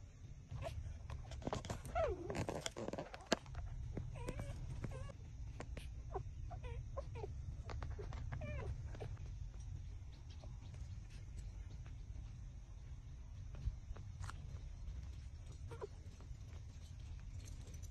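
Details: Six-day-old puppies suckling from their mother and trembling as they feed, giving faint, thin whimpering squeaks, scattered and irregular, with a few sharper clicks, over a steady low rumble of background noise.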